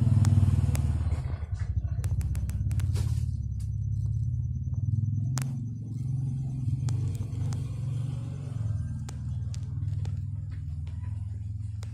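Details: Steady low motor and traffic rumble with scattered sharp clicks and a faint thin tone, and no animal call heard.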